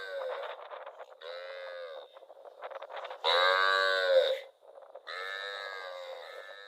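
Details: A cow wandering rural rice fields calls repeatedly with choppy, quieter lowing. One louder drawn-out moo stands out in the middle.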